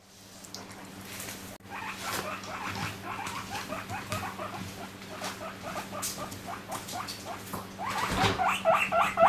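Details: Domestic guinea pig indoors in the morning, loudly screaming for vegetables: a rapid, busy run of short, sharp, rising squeals repeated several times a second, building to louder, longer shrieks near the end, over a steady low electrical hum.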